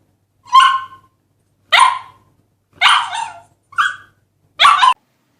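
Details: A dog barks five times in about five seconds, sharp bright barks spaced roughly a second apart, one of them shorter and higher, with clean silence between.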